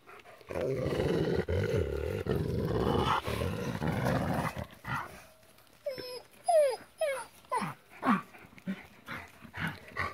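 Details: Female gray wolves fighting at Wolf Howl Animal Preserve in November 2016, during pair-bonding season when they fight to keep rank: dense rough snarling and growling for five seconds, then sharp yelping squeals rising and falling, with a person talking.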